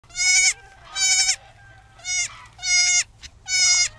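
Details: Lost baby goat calling for its mother: five loud, nasal bleats, each about half a second long, repeated roughly every 0.7 seconds, over faint low background noise.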